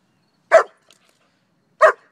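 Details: Pet German Shepherd called Shiva, playing with a duck toy, gives two sharp single barks about 1.3 seconds apart, with quiet between them.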